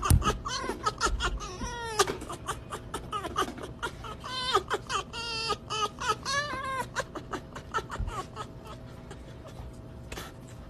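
An Arctic fox gives rapid, wavering, screechy yelps that run together into a chattering, almost laughing series.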